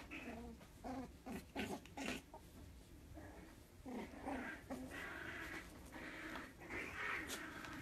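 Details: Jack Russell Terrier puppy wanting to play, giving short high whines and yelping bursts in quick irregular runs, some rising into a squeaky nasal tone, heard indoors with low background rumble.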